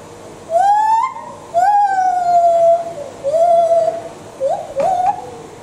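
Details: A lar gibbon at Chester Zoo gives a loose series of pure, flute-like hoots, each about a second long, rising then gliding down, with a rougher, wavering one near the end.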